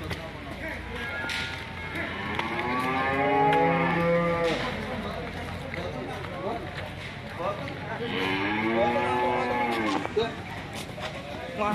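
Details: Raging cow alarming its owner: two drawn-out, arching moos with rich harmonics, the first around the middle and the second near the end, over a noisy background with knocks.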